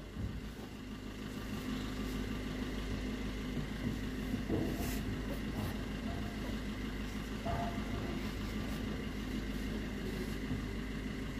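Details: Steady engine and traffic rumble outdoors in an urban setting, with brief faint speech and no animal calls.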